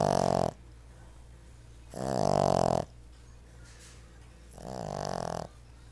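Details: A seven-month-old male Boston Terrier puppy snores while napping, in loud, rasping breaths with quiet pauses between them.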